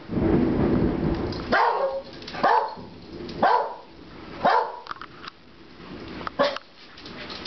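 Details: Pet dog, one of two (a corgi and a dachshund), barking at a passing thunderstorm indoors; six short sharp barks spaced about a second apart over low rumbling thunder and steady rain.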